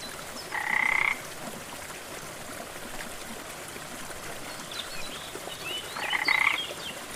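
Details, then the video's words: Frog at a rainforest waterfall: a harsh, pulsed croak at the start and a similar one about five seconds later, each around half a second long, set against the unbroken roar of flowing water. "Waterfall & frog sounds"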